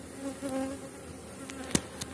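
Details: Honey bees of a strong colony near the end of the season during a hive inspection with capped brood: steady humming drone with a couple of sharp clicks from handling the frames.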